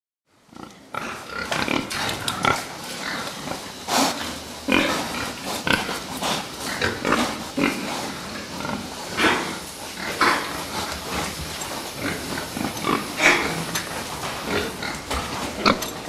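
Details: Fattening pigs in a pen, a dense chorus of many animals with constant short grunts and clattering, broken by scattered squeals throughout.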